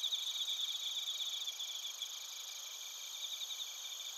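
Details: Chorus of bell crickets and other crickets in Narita, Chiba, Japan, captured on a TASCAM Portacapture X8: a continuous shrill ringing with several stacked high tones and fast pulsing, slightly louder at the start.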